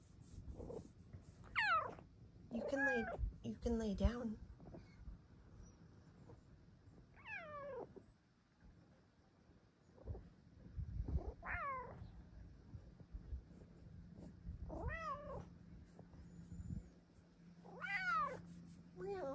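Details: Female Bengal cat asking for a cat cave and pawing at blankets; seven or so arched, wavering meows spread across twenty seconds, some in quick pairs, with a low steady hum and a woman talking quietly in between.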